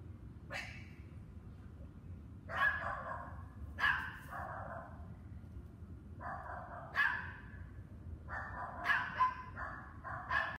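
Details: Dogs keep barking on May 24, 2019, starting 7 PM and lasting two hours. Repeated harsh barks, some short, some drawn out, arrive every one to two seconds and grow more frequent toward the end, with a low steady rumble beneath.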